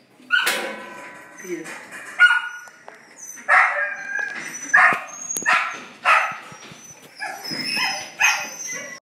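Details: Border Collie during a mating session in Long Biên, Hà Nội, Vietnam, on 15 November 2016, giving a run of sharp yelping barks and whines roughly every second, about eight bursts, mixed with people talking nearby.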